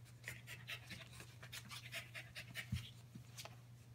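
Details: Five-week-old Keeshond puppies Gotham and Gem play with their mother, Promise; quick breathy pants come in a loose rhythm of about four bursts per second, over a steady low electrical hum and faint scuffling.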